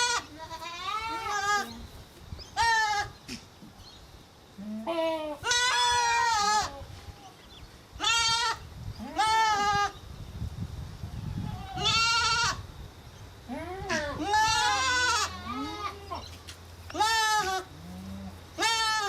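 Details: Young goat kids bleat repeatedly, loud wavering nasal cries overlapping one another.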